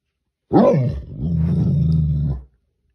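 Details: A Great Dane facing a crayfish gives one deep, booming bark that trails into a long, low rumbling growl.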